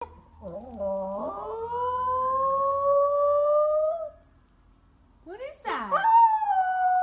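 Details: Poodle howling, part of a 2016 poodle barking and howling compilation: a long, smooth howl rising slowly in pitch and held for about four seconds, a pause, then a second howl breaking upward and sliding down.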